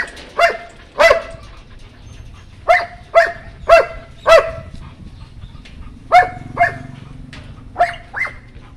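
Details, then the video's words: Puppies of the White German Shepherd breed give clear, high, ringing barks, singly and in pairs, spaced irregularly with short pauses between, over a faint low background hum. "White German shepherd puppies"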